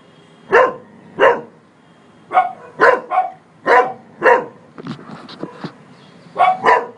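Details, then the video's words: Polo, a Cocker Spaniel, barks at a man seen on a terrace, loud clipped barks about every half second, mostly in pairs, with a brief softer scuffling pause before a final double bark. "Polo - Cocker Spaniel barking"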